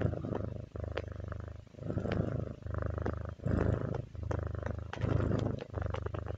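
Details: Kitty purring, a rich low rumble rising and falling with each inhale and exhale in roughly one-second cycles, louder in later breaths, with light scattered clicks over the drone.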